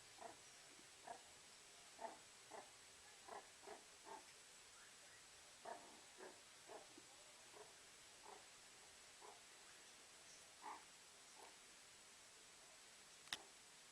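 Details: Beside a fireplace, a warming meerkat utters scattered short, soft calls about every half second to second, ending with a single sharp click.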